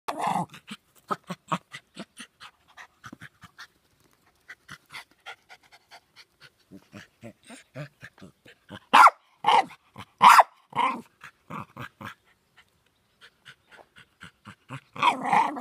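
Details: Jack Russell Terrier barking as usual, indoors: a run of short breathy pants and soft grunts, then a burst of loud sharp barks around the middle and more at the end.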